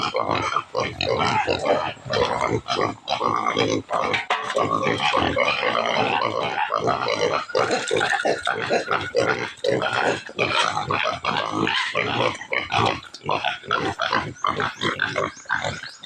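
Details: Native pigs clamouring to be fed, shrill squeals and rough grunts pouring out in a continuous, chaotic stream, broken by brief pauses, with occasional human speech.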